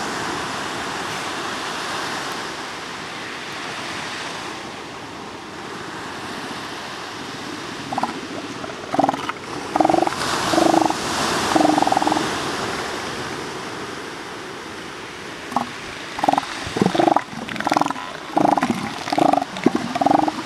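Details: Northern elephant seals calling over steady surf: after a quiet opening, a series of short, harmonic, moaning calls starts about eight seconds in, repeated in irregular bursts with brief gaps, against a constant wash of waves.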